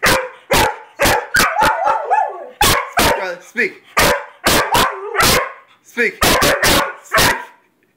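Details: A Weimaraner and a Vizsla bark loudly and sharply in quick bursts, with whines between, as a person repeatedly commands "speak".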